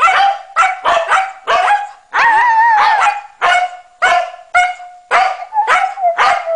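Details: A Norwegian Elkhound and a Husky singing together: rapid yelps and short barks about twice a second, with one longer wavering howl in the middle, the dogs overlapping as a woman talks to them.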